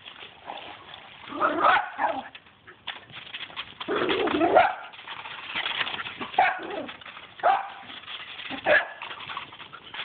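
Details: Two dogs play wildly with a pool broom, giving harsh, uneven barks and snarling yelps in clustered outbursts between quieter scuffling and scraping noises.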